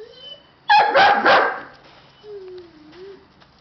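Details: Siberian Husky puppies giving a quick burst of two or three harsh, broad barks, then a soft, thin, wavering whine that dips and rises; a brief faint whine also opens the recording.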